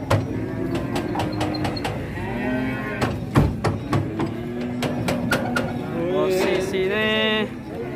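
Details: Big agitated cattle being unloaded from a truck in Indonesia call with several harmonic moos, one swelling and bending near the end, among clattering knocks, background music and faint speech.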